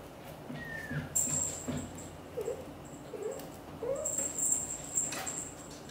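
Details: British Shorthair kitten indoors trying to leave the nest while mother cat Xaxa coaxes him to stay and play with siblings; several short, thin mews rising and falling, with rustling and handling noises around them.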